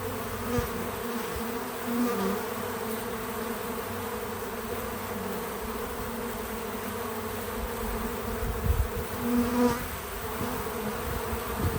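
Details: Bees visiting a feeder outdoors on a small farm, buzzing in a steady layered hum with low droning bands. Wingbeats swell briefly as bees pass close near the start and again toward the end. No music or talking.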